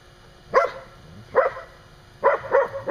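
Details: Standard Poodle barking outside a pen while play-fighting with another dog, near a mother playing with her six-week-old pups; short sharp barks, two spaced singles then a quick pair.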